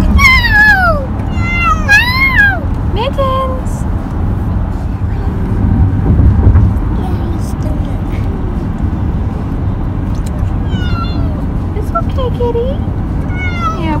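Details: Pet cat on his first car ride in a long time since kittenhood, meowing in the moving car: a cluster of drawn-out falling and arched meows in the first three seconds, more near the end, over steady engine rumble and human voices.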